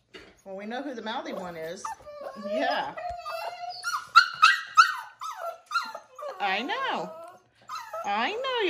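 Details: A 5-week-old foster Siberian Husky puppy gives wavering, whining howls that rise and fall, unhappy at being brought in for dinner and wanting to go back outside, as a woman talks nearby.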